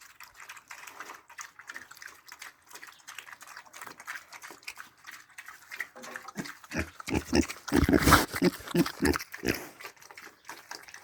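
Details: Several piglets feeding, with rapid irregular grunts and slurping chews that start soft and sparse, then grow loud and dense near the end before easing off.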